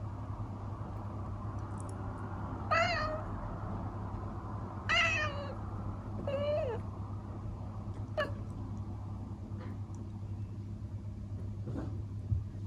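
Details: A traditional seal-point Siamese cat indoors in the Netherlands chatters at a bird behind the window, seemingly disappointed she can't catch it. She makes three brief, broken, chirping bursts a couple of seconds apart over a low electrical hum with faint clicks.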